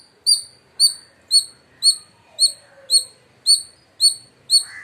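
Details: Loud, shrill chirps from an Indian palm squirrel in India. Nine high, sharp notes are evenly spaced about half a second apart, with a faint low whistle in the background.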